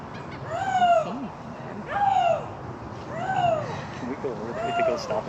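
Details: Captive Canadian lynx at a big cat rescue sanctuary calling during a walking tour on 1 May 2021: four drawn-out, arching moaning calls, each rising then falling, spaced about every one and a half seconds, with a person speaking quietly between them.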